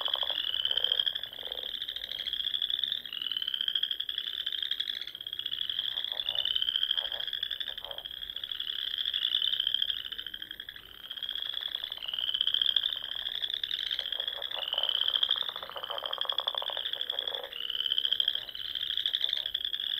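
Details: Spring frog chorus from small lakes and ponds in the Sandhills of Nebraska at dusk, sustained high-pitched trills rolling one into another for the whole stretch, punctuated by bursts of lower, rapid clicking croaks.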